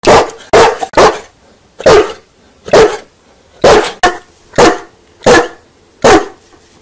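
A large dog barks deeply and loudly, single woofs spaced about a second apart.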